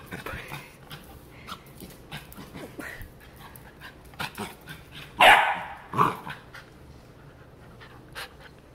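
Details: Piper, a Labrador Retriever in Miami, reacting to a new toy: two sharp, loud barks about a second apart after quiet shuffling, with a person's voice nearby.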